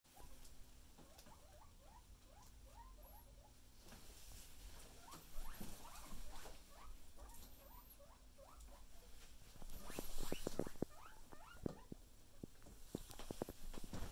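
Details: Several pet guinea pigs kept together, a chorus of short rising squeaks repeated rapidly, many overlapping chirps over a low hum, with louder bursts of squealing and rustling toward the end.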